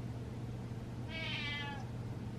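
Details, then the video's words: Indoor pet cat calling out at a dancing owner with one bright, harmonic meow lasting about half a second, gently arching in pitch, over a low steady background hum. "Cat Meows At Dancing Dad"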